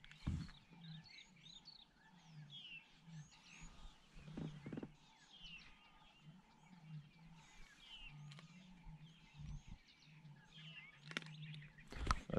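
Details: In the morning at MalaMala, several distant lions roar in deep, drawn-out groans; possibly one male, then many more together further off, while small birds chirp and twitter overhead, with a few sharp nearby knocks.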